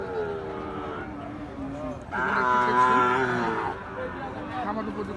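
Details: Cattle at Ambari market, held Fridays and Mondays, where Gir and Sahiwal breed bull calves are sold; one long, drawn-out harmonic moo swells in the middle, with people talking and bargaining before and after.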